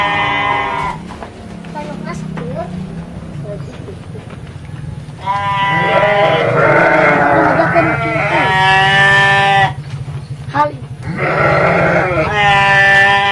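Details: Garut sheep on a fighting-sheep farm in Dangiang, Cilawu, Garut, West Java: a man talks over a low hum at first, then strong, trembling bleats from several animals run almost continuously through the second half.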